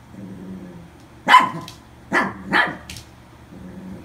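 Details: Toy poodle, recently adopted, barks three times indoors: one sharp yap, then a quick pair about a second later, with a low hum and faint murmur underneath.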